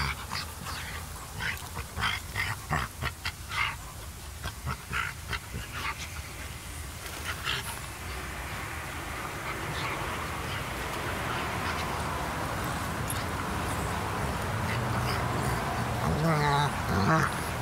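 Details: Two dogs playing: a 4½-month-old Frenchton puppy, a French bulldog and Boston terrier cross, with a greater seeing mountain dog. A quick run of short sharp barks comes early, then a rising whiny vocal near the end, with background noise.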